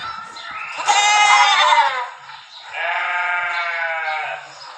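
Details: Two long, quavering sheep baas, the first loud and high-pitched, the second lower and steadier, over a constant faint background hiss.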